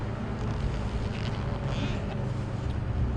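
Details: Steady low engine rumble and wind buffeting the microphone, with no animal calls.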